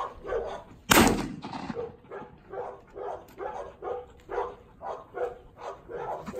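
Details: One of two trained dogs, steady to gunshot during obedience work: a single sharp gunshot early on, then a steady series of soft, breathy panting bursts about every half second.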